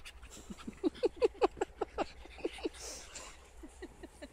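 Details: A dog pack of two frallor, a schapendoes and a basenji enjoying a sandpit: a quick run of short, throaty, pulsed yips or grunts, about five per second, fading after two and a half seconds, with soft background rustle.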